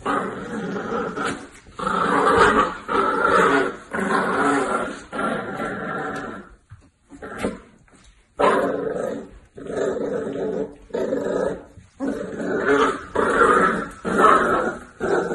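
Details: Miniature Dachshund barking in rough bursts of harsh, mid-pitched barks and growly yelps, clustered in groups with a short quiet gap around the middle, then resuming in rapid repeated volleys.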